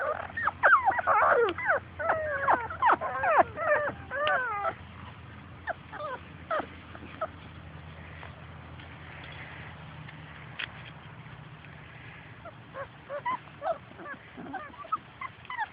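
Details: Labrador Retriever puppies playing outdoors and chasing their mother: a dense burst of rapid, high yips and whimpers over the first five seconds, then scattered single yelps and squeaks against a low steady hum.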